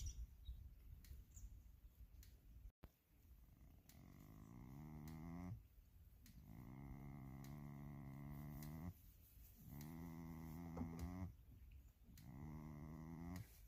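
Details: Goat snoring: low, buzzy, droning breaths with rich layered overtones, each lasting one to two seconds, repeating four times with short quiet pauses between them, over a faint steady background hum.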